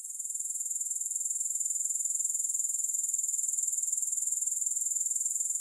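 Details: High, shimmering insect trill from grasshoppers, made of fast regular pulses that run on without a break and swell slightly after the opening moment; no music or other sounds.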